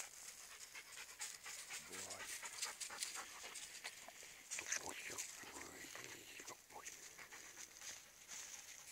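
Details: Wheaten-cross greyhound lurchers, a dog and a bitch, both half crosses, on a morning walk; quick, breathy, rhythmic panting, while a person calls to the dogs and faint outdoor noise fills the background.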